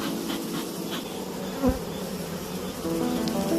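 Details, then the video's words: Western honey bees in a kept beekeeping hive, with a search for the queen bee, give a steady low droning buzz throughout, a brief thump near the middle, and faint tonal background sounds. "양봉 꿀벌 키우기, 자연의 소리"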